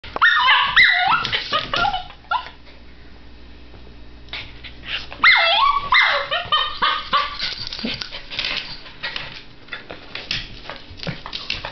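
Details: Baron von Augenbraue, a Miniature Schnauzer puppy, straining toward cheddar-cheese pasta just out of reach on a coffee table: high whines and yelping barks in two bursts with quieter scrabbling between.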